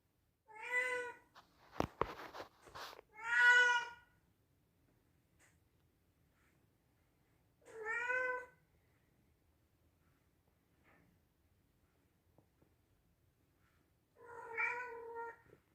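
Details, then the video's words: Domestic male Scottish Straight cat, kept indoors as a pet, meowing loudly: four harmonic meows around two seconds apart, each about half a second long, with sharp clicking knocks between the first two. "Cat Bora Meows Loudly and Funny"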